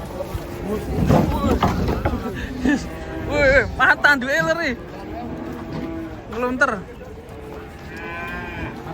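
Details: Cattle unloaded from a truck, a low moo early on amid loud human voices and shouting, with raised, wavering calls from people and general commotion.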